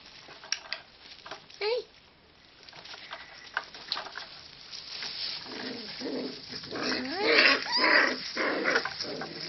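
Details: Five-week-old kelpie puppies playing together indoors: rough, noisy growls mixed with short yips and a few rising squeals, bursts coming irregularly and getting busier toward the end, with faint human voice in the background.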